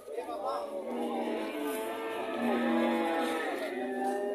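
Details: A relaxed heifer at an Indonesian animal market gives long, drawn-out moos with rich layered overtones, rising and falling in pitch and running almost without a break, while faint human chatter sounds in the background.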